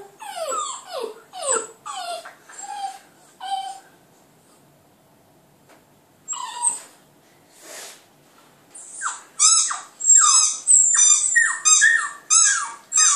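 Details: A Border Terrier puppy howls at a computer, giving high, wavering howls that slide downward, in bursts broken by a short pause, with music playing.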